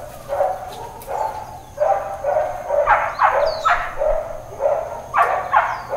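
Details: Dog barking in Hawaiian Paradise Park on Hawaii, Labor Day, September 2, 2024, part of intermittent uncontrolled barking. A steady series of rough, mid-pitched barks repeats about twice a second, with faint high chirps and a constant background hum.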